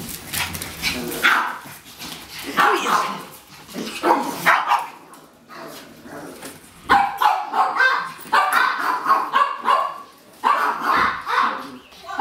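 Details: Pekingese dogs at home waiting for food at feeding time, including a 16-year-old dark brown female and a 14-year-old black sleeve Peke; clusters of excited, yappy barks come in uneven bursts with short pauses between.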